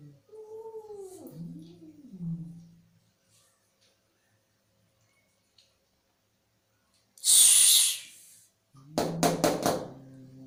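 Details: Angry cat giving drawn-out wavering yowls that rise and fall, then a sharp breathy hiss after a pause, ending with a burst of rough, pulsing growl-like sounds.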